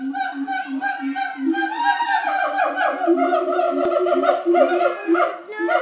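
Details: Siamangs at Auckland Zoo give loud, wavering, tonal hoots that swoop up and down in a continuous stream.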